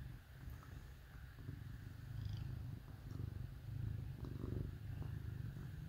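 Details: Purring from cats cuddled up with dogs on a cold winter day, a continuous deep throbbing rumble that swells slightly louder toward the middle and end.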